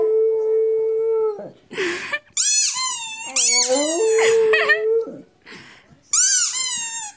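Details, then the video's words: Howling indoors, Rudi the dog holds a long level mid-pitched note, breaks into shrill wavering squeals sliding down, returns to the steady held howl, then ends with another high descending squeal. "Howling Rudi"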